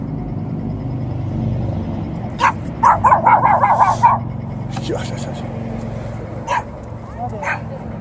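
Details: Small yappy dog meeting an Alaskan Malamute and a Golden Retriever. It gives a rapid burst of about eight sharp, high yaps within two seconds, then scattered single yaps, over a steady low rumbling background.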